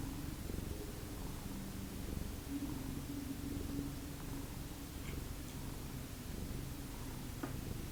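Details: Indoor domestic cat of the Lucky Ferals family purring around 8 a.m., an even, continuous low drone with light clicks near the end.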